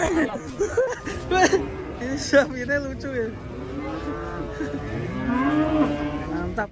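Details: Loud, harmonic moos from fat cattle, bending up and down in pitch and running almost continuously, one long call rising and falling near the end, with faint human voices underneath.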